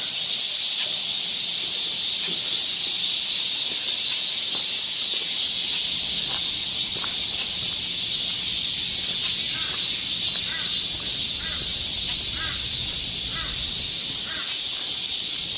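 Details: Midsummer cicada chorus from the woodland trail of Galsan Park in Seoul's Yangcheon-gu, a continuous shrill, buzzing wall of sound holding level throughout, with faint short chirps and soft low rustling underneath.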